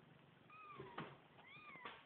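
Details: New kittens giving two high, thin meows, each a smooth arching whistle-like cry rising then falling, the second about a second after the first, over faint room hiss.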